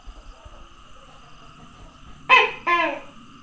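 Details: Tokay gecko, 27 May 2020, near the end gives a single loud two-part croak, a sharp first note followed quickly by a lower, drawn-out second note, after a stretch of quiet room hum.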